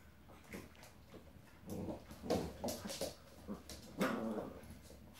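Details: Old English Sheepdog puppy Dolly, ten weeks old, playing with Maggie and Skye indoors; low rough growls and short whimpering yips come in irregular bursts, loudest near the middle and end, over faint room noise.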